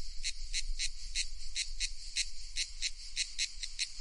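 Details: Loud cicada call made of rhythmic buzzing pulses, roughly three per second, evenly repeated and sharp-edged, with low background rumble underneath.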